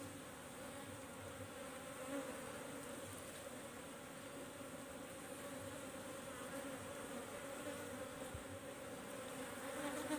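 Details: Wild Apis cerana colony, called nyiruan, taken from a tisuk tree for rehousing in a box: continuous swarm buzzing, a droning hum with steady low tonal bands throughout, no other clear sounds.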